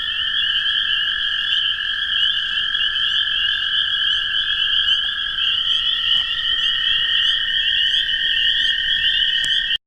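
A dense spring chorus of toads and spring peepers: a steady trilling drone under high, shrill piping.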